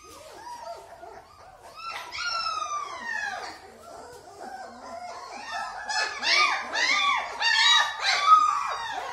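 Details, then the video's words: German Shepherd puppies in Delhi, India, whining. A few thin whimpers open, then a long descending whine near two seconds. From about five seconds on, a rapid jumble of overlapping arched yelps and squeals from several pups builds louder. "German Shepard Puppies"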